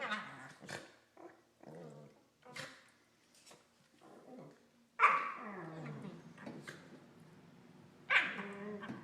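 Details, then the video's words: Corgis mouthing each other during play with weird Wookie-style noises: scattered short grunts and yips, then two sharp louder cries with sliding, wavering moans trailing off after them. "Corgis Making Wookie Noises"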